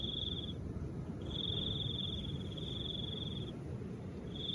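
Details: Cricket singing through soft wind: a short high trill, a brief break, then a long even trill of over two seconds, ending with another onset, all above a steady low wind wash.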